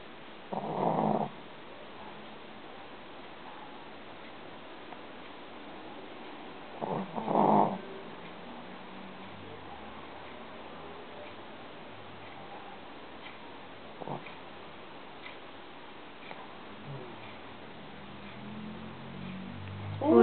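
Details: Shishi, a sleeping female Shih Tzu puppy kept as a house pet, snoring loudly enough to wake her owner at night: two harsh, rasping snorts about six seconds apart over a quiet room, then faint low rustling near the end.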